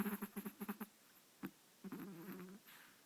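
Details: Chihuahua named Marshall snoring indoors: a quick run of short snuffling snorts, a pause, a lone snort, then a longer wavering rasp.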